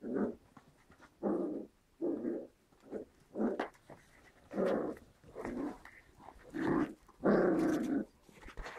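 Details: White Großspitz (German Spitz) puppies, seven weeks old, from a Berlin litter of five females and one male: rough, throaty growls in about ten short bursts, each roughly half a second long, separated by brief pauses.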